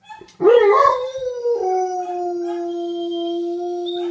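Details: Male dogs giving mating howls toward a female in heat, an old dog coaxing a young one: a sharp yelping start settles into one long, level, sustained howl with a thin higher tone layered above it.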